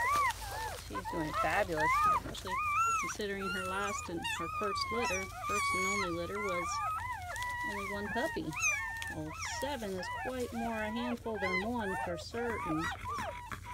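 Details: Newly born German Shepherd puppies, a litter of seven from May 7–8, 2017, cry continuously: wavering, wailing whines rise and sag in long arcs over a dense layer of short squeaks, with a human voice mixed in.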